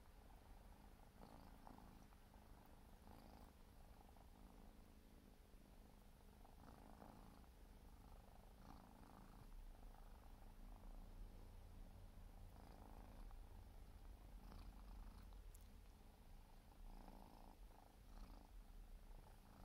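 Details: Four-month-old Siberian forest cat kitten grooming, giving a soft, low, continuous purr under quiet rhythmic licking and rustling sounds.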